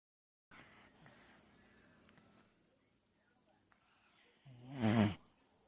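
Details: Mr. Ginger, a beloved pet dog, snores while asleep: after a few quiet seconds of soft breathing, one loud, rasping, broadband snort swells and fades near the end.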